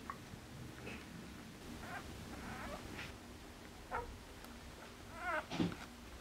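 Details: Four-day-old Border Collie puppies indoors, recorded 2 September 2014 from a litter born 29 August 2014; short thin squeaks and mewing whimpers scattered through, the last pair louder and wavering, over steady low background noise.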